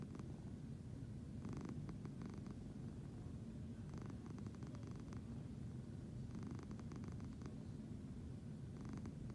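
A Siamese cat purrs in a low, even rumble that never breaks. Soft rustling bursts come and go above it every couple of seconds.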